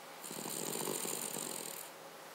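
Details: Cavalier King Charles Spaniel named Paca snoring: one rasping, fluttery inhale lasting under two seconds, a buzzy vibration with a hissy airy edge, in a quiet indoor room.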